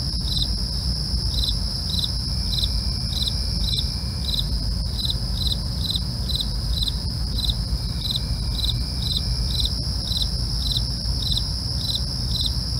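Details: Crickets chirping through the night, a long run of rapid regular chirps near two per second over a steady piercing trill, backed by a heavy low rumble throughout.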